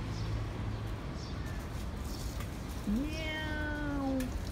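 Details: Domestic cats eating cat food, recorded 15/06/2018: one drawn-out meow that rises and then slowly falls, over a steady low background hum.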